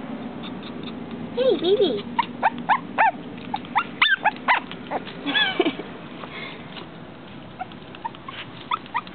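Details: Female dog frustrated at not getting through glass produces irregular high whines and short yelps, some sliding downward, with human voice and background sound beneath.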